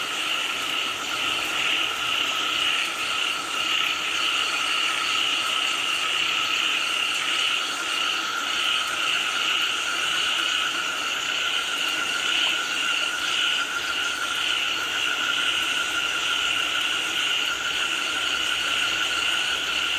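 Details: A steady frog chorus in the rain, many voices merging into one continuous pulsing trill pitched high, with a lower droning tone beneath and an even rushing hiss throughout.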